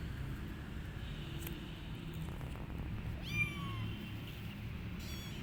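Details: Street kitten, still upset a week after its mother cat left the litter, gives one loud, harmonic-rich meow that slides downward midway, then a brief second meow near the end, over a steady low traffic-like rumble.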